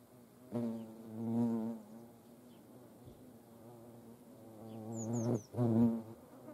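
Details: Hornets feeding alongside ants at a feeding station in Dohr, Eifel, producing a deep humming buzz that rises in two loud passes, with a faint high chirp of a bird near the end.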